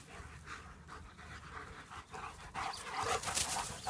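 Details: Panting from German Shepherds during play: rapid breathy huffs repeating a little over twice a second, growing louder and harsher in the last second and a half.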